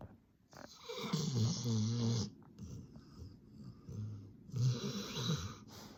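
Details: Sleeping Labrador Retriever snoring loudly indoors: a long rasping, low rumbling inhale over about a second, a quieter pause, then a second harsh snore, strong low-pitched buzz with breathy hiss above.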